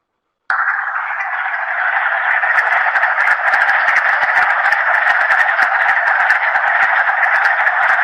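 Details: Wood frog chorus, a dense continuous chattering like a flock of ducks sitting on a pond, steady and unbroken throughout with rapid overlapping clucks and faint clicks on top.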